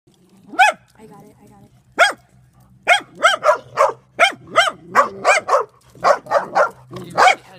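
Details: Several dogs bark at a drone: loud, sharp barks, first spaced about a second apart, then coming in quick runs of overlapping barks from more than one dog, with a steady low hum underneath.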